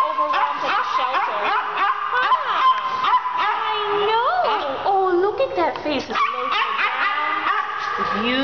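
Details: Shelter dogs at North Central Animal Care Center in 2011, small dogs kept in indoor isolation kennels; dense overlapping barks and sliding whimpers, some swooping up and down in pitch, alongside a human voice.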